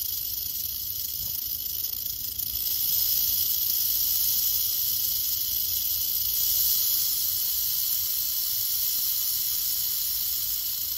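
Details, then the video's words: Western diamondback rattlesnake, curious about the person nearby, rattling its tail: a steady, dry, high hissing buzz that runs unbroken for the whole stretch with only slight swells in loudness. "One minute of a Crotalus atrox ( rattlesnake ) rattling"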